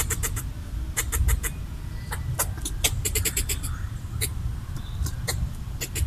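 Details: Red squirrel defending its coconut bits with territorial chattering: repeated dry clicks in irregular clusters throughout, some rapid and some spaced, over continuous low background rumble.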